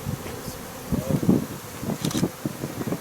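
Honey bees buzzing in low, droning pulses that swell and fade as they pass close.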